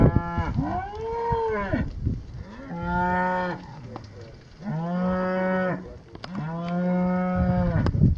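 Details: Heifers held in yards, a group of 39: four loud, drawn-out moos follow one another, each lasting about one to one and a half seconds. They are rich and harmonic, with a steady low tone that swells and fades, separated by short pauses with low background rumble.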